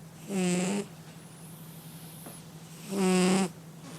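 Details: Sleeping cat snoring: two low rasping snores about two and a half seconds apart, each lasting roughly half a second with a buzzy, rattling texture.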